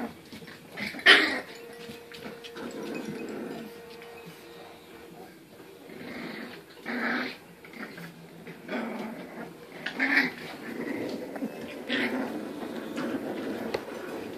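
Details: Olde English Bulldogge puppies, registered litter born November 2, 2015, Michigan; scattered short yelps and squeaky whimpers every few seconds, separated by quieter shuffling and indoor room noise.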